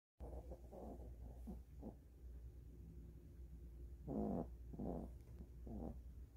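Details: A sleeping Maltese snores in soft, low, rasping bursts, each breath a brief rumbling puff, after a full meal while dozing with its favourite blanket on its owner's bed.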